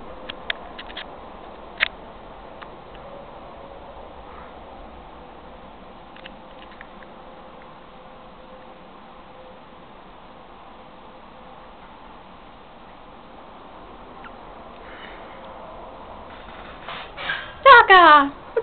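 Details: A Siamese cat, possibly singing or playing in the bathroom sink, gives one loud, drawn-out meow that falls in pitch, after a long quiet stretch.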